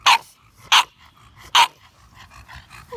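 An English bulldog gives three loud, rough barks spaced under a second apart.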